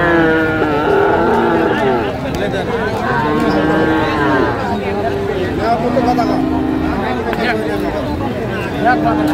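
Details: Friesian and crossbred heifer calves for sale at Raniganj haat, Dinajpur, Bangladesh, 29 January 2025. Sustained, slightly rising and falling lows carry through a busy market, with people talking close by throughout.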